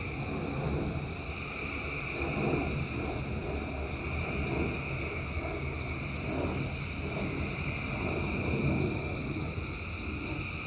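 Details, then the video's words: Frog chorus during rain, thousands of frogs calling at once, merging into continuous sustained high-pitched tones over steady rain noise and low rumbling, the level gently rising and falling throughout. "Frogs in Rain 2 Hours of Frogs, Thousands of Frogs Singing"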